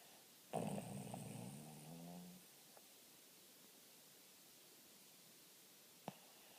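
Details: Dog snoring, one loud rasping breath lasting about two seconds that fades, followed by quiet and a single short click near the end.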